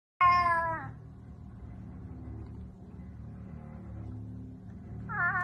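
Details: Domestic cat gives a short, loud, falling meow, then a quiet stretch with low background hum, and a second rising meow begins at the end; Russian speech is heard nearby.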